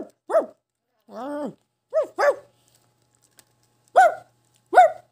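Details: A Shih Tzu gives short, tonal barks while another dog growls and howls; one longer, lower drawn-out vocalization is heard among them.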